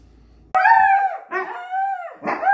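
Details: Miko, a pet Siberian Husky, howling at home after remembering his chicken: loud, clear drawn-out howls that start high and sag downward, broken into three short bursts with brief gaps, the last one rising again.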